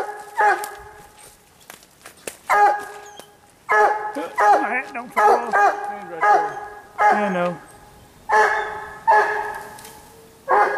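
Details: A Treeing Walker Coonhound baying at a raccoon it has treed during a hunt near a slough; loud drawn-out bawling barks repeated about every second, with a man's voice speaking between barks.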